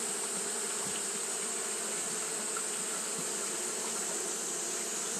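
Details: On a hot day, Japanese honey bees keep up their fanning; dense, continuous buzzing drone in low tones, unbroken throughout, under a persistent bright hiss.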